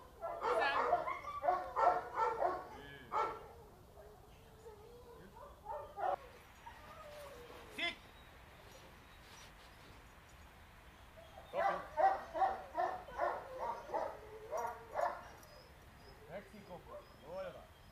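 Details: Two-and-a-half-year-old female Boxer in training, described as unruly, pushy toward other dogs and reacting intensely to every change around her. Rapid barks come in two bursts, early and again around twelve to fifteen seconds, with quieter rustling between.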